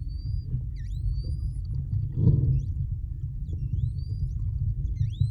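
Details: Short-finned pilot whales whistle and vocalize underwater during a close interaction with freedivers off the Kona Coast, Hawaii: thin, high whistles rise and fall over a steady underwater rumble.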